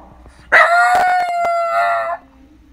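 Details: A single long howl from a Shiba Inu at home: a sudden loud onset, then an even, sustained ringing wail held for about a second and a half before cutting off.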